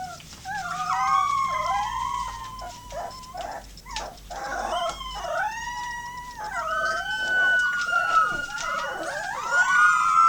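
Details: Eight 18-day-old Golden Retriever puppies howl together after hearing a passing fire truck siren, giving overlapping, wavering, siren-like wails with rising and falling pitch.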